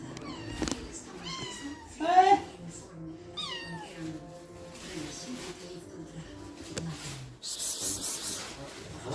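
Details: A three-month-old Sphynx kitten eating its tuna treat gives a few short, falling meows, one louder than the rest, over soft background sounds.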